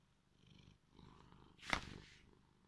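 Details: Just-woken, sleepy male cat giving a short, gentle, rhythmic purr in two brief phrases, followed by a single sharp rustle or tap.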